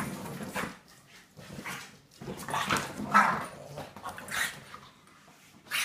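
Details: A female Staffordshire Bull Terrier playing with a French Bulldog gives rough, huffing growls and grunts in short bursts.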